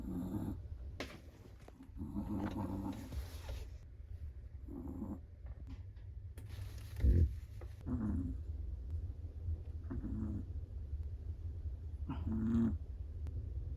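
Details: Sleeping Chihuahua snoring softly, short nasal breaths with a low buzzy tone recurring every second or two, some louder than others, over a steady low hum.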